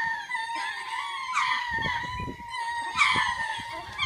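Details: Lemurs giving a territory call, one of two made each day to claim the land and scare off unwanted birds or predators; overlapping high wailing cries with loud rising shrieks about every second and a half, plus low thumping below.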